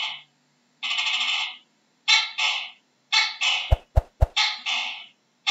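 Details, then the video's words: Gecko calling in short harsh bursts, most split into two quick croaking syllables with a rough, buzzy tone, separated by brief pauses; three sharp clicks sound near the middle. "How does a Geko sounds"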